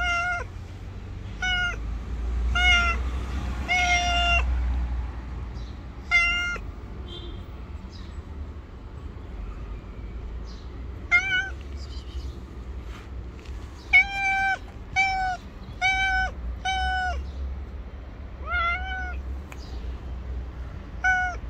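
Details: Street-dwelling stray cat, afraid yet staying put because food is expected; bursts of clear harmonic meows, some in quick runs and others spaced a few seconds apart, with steady low traffic-like rumble underneath.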